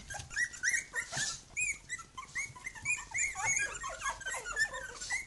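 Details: Three-week-old puppies from the Khyi-Mi B litter calling near their mother Bhoomi, a steady stream of rising and falling high whines and squeaks from several pups over faint background hum.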